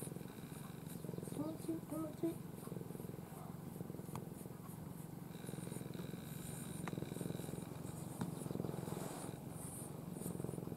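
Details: Pampered domestic cat, one of a family of former strays, sleeping in the owner's arms with its face tucked down, purring in a steady low rumble throughout, with a woman speaking softly in Japanese and faint household noise.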